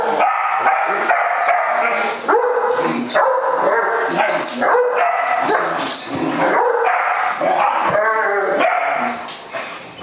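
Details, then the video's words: A pet Great Dane, Jasper, vocalizing at a hated balloon with steady, loud grumbling whines and yodel-like moans whose pitch wobbles and rises, short breaks between bursts, ending in a quavering wavy note. "Great Dane hates balloon"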